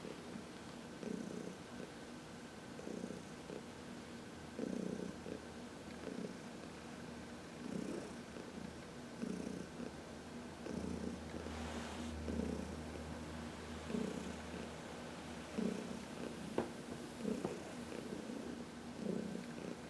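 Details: Heidi, a 14-year-old rescue cat from the Humane Society of New York City, purring under a sunny massage; rhythmic rumbling cycles about 36 per minute, with a brief low hum midway and light rustling.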